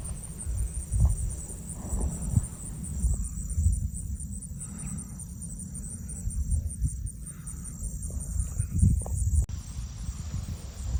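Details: Crickets in a marsh, filmed on a cell phone with egrets nearby: a fast, steady high-pitched pulsing chirp runs throughout, over low rumbling background noise and a few soft thumps.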